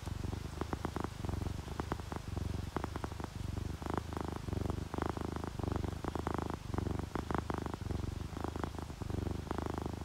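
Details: Contented domestic cat, ginger tabby or calico, purring while asleep: a continuous deep motor-like rumble broken into regular breath-length pulses, with faint rain and small clicking sounds behind.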